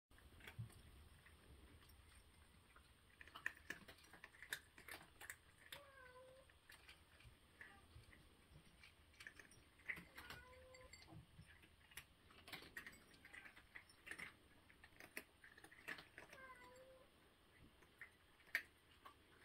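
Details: Cat eating breakfast indoors in a small room: sharp crunching and cracking clicks come in irregular bursts throughout, with a few soft tonal squeaks between the bites and a faint steady background hum.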